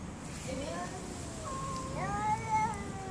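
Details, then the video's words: Cats fighting: low, wavering moaned yowls with faint harmonics, sliding up and down over a steady background hiss. "the best funny cat fight videos"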